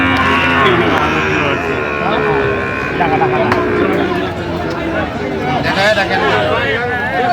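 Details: A drawn-out moo opens this stretch from a Feni market selling Sahiwal bull calves on 9 November 2025, followed by shorter bovine calls among loud haggling men and general crowd noise.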